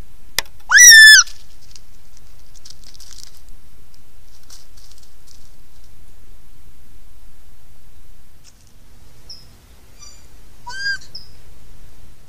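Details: A gray fox in the Angeles National Forest gives a sharp, loud, falling yelp, then a fainter call after a long quiet pause; the foxes are believed to be communicating with one another.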